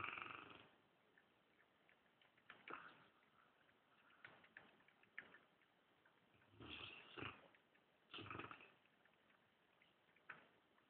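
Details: Dogue de Bordeaux named Bud asleep on a leather armchair in a living room, snoring and twitching; rough breathy snores come in bursts around every one to two seconds, with quieter stretches between them.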